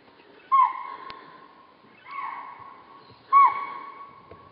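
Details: Chital at Kanha, India, giving three loud, clear whistled calls spaced about 1.4 seconds apart, each a sharp high note that holds steady and then fades, with a quiet background.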